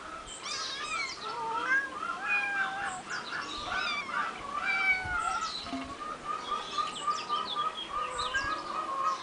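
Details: Three eight-week-old kittens on a finca, 11 May 2011, keeping up a busy chorus of overlapping high mews and squeaks, many short calls crowding together over steady background noise.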